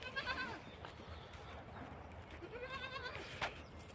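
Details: Beetal goats and kids at a goat farm in Koldam, kept for sale; two quavering, wavering bleats with rich stacked harmonics, one at the start and a longer one near the end, over steady low background noise.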